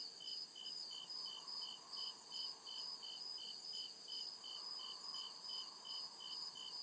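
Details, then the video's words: Deep-woods crickets at night keep up regular high-pitched chirps, roughly two and a half pulses each second, layered over a steady thin ringing and a faint soft rumble underneath. "CRICKET CHIRPING SOUND"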